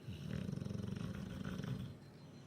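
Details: Duke the bulldog in Huddersfield, snoring in his sleep after a chicken curry: a low, rumbling snore made of rapid fluttering pulses that holds steady for about two seconds, with no other clear sounds.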